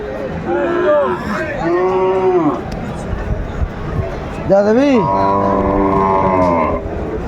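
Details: Sahiwal bull calves at Aftabganj cattle market, Dinajpur, Bangladesh, on Saturday 28 December 2024: several long, rising-then-falling moos, one low and bending upward, then a steady drawn-out bellow, with bidding voices and crowd chatter behind.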